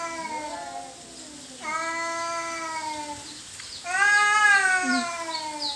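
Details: Territorial fight between cats: long steady moaning howls that slide slowly downward, each lasting about two seconds, followed by a louder, higher wail.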